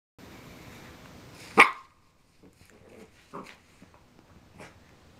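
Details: Basset Hound puppy, 8.5 weeks old, playing with a new toy indoors: one sharp loud bark near the start, then a few softer short yips and rustling thuds spaced about a second apart.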